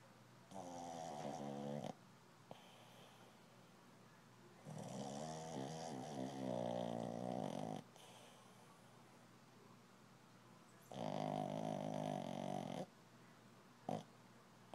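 A Shih Tzu snores in long, rattling breaths separated by short pauses.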